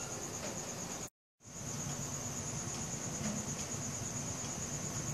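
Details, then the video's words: Crickets at night, recorded on a Samsung Galaxy S4: a continuous high, thin trill holds steady throughout, broken by a brief cut-out near the one-second mark, over a broad hiss of background noise. "CRICKET SOUNDS | RELAXING SOUNDS OF NATURE AT NIGHT"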